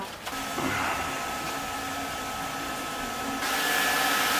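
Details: Steady mechanical whirring with a faint high tone, like a printer or small appliance running indoors, with brief speech and no animal sound.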